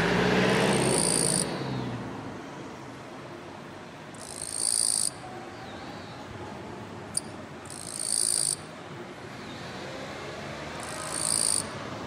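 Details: Male Eastern-Japanese katydid singing repeatedly from a kwanso orange daylily bud, hidden in tall Chinese silver grass, to attract a female; high raspy buzzing bursts of about a second recur every three to four seconds, with a single sharp click, over low traffic rumble.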